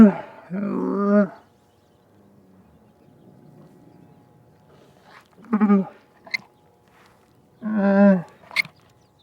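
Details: A camel moans in short, gurgling bursts: an opening groan, a long quiet stretch with faint low rumbling, then two more brief harmonic moans near the end, with a few small clicks.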